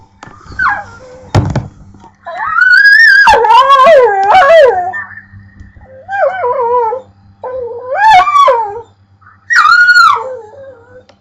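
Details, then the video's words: A pit bull makes drawn-out, wavering howls and whines at a pet bird, sliding up and down in pitch in several bursts. "Funny Pitbull Making Weird Noises"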